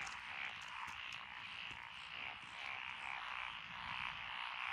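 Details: Rice-paddy frog chorus among lotus fields in Echizen, Fukui, Japan, recorded 12 June 2021. The singers include Japanese tree frogs, black-spotted pond frogs, wrinkled frogs, Schlegel's green tree frogs and forest green tree frogs. Overlapping croaks pulse continuously, swelling and fading in waves.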